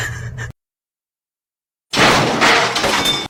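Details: Noise, then a sudden silence, then a loud burst of breaking and shattering glass with crackling, and no animal voice.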